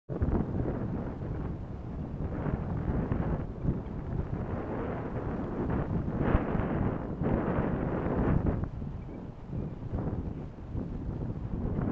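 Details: Steady wind buffeting the microphone, a low rumbling roar with no animal calls heard.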